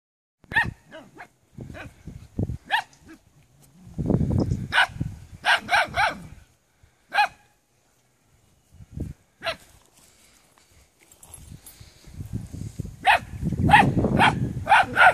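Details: Maremma Sheepdog puppies give high, yappy barks in irregular bursts, some stacked quickly together, with stretches of low rumbling handling or wind noise and short quiet gaps between.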